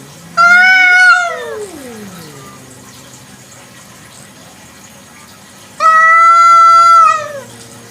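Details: Village cat (kucing kampung) at night, two loud, long meows about five seconds apart: the first swoops up, holds, then slides steeply down into a low moan; the second is steadier and ends with a downward bend.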